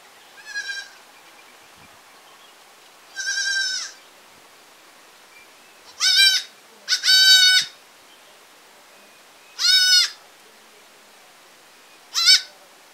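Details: A baby goat in a village setting, bleating in short harmonic-rich bursts: six calls spread over thirteen seconds, some wavering, a couple in quick pairs, over a quiet rural background.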